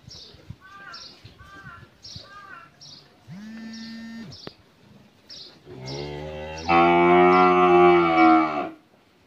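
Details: Holstein Friesian heifer calf, thirteen months old, on a dairy farm in Pabna, Bangladesh, gives a short low moo then a long loud rich bellow near the end, while small birds chirp repeatedly throughout.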